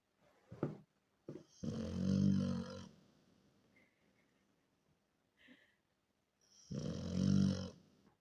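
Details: Miranochka, a Rottweiler, asleep in a small room, giving two long, loud, grating snores about five seconds apart, separated by soft breathing and a faint squeak.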